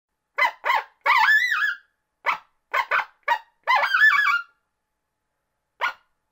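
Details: Coyote (Canis latrans), yips and howls.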